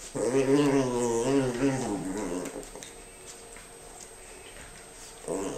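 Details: Female Norfolk dog playing with her best friend, another dog: a loud, wavering, tonal growl-whine lasting about two seconds, then a quiet stretch with a steady high electronic whine, ending with a short renewed groan.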